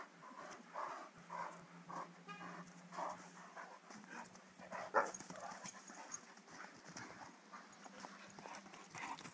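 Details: Two Irish Wolfhounds, Connor and Margo, both three years old, playing together. Soft rhythmic huffing breaths repeat steadily, mixed with light scuffling and one sharp knock midway.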